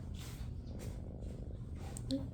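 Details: Tabby shelter kitten purring while being petted indoors; a steady low rumbling purr fills the clip, with faint soft voices and a brief light squeak near the end.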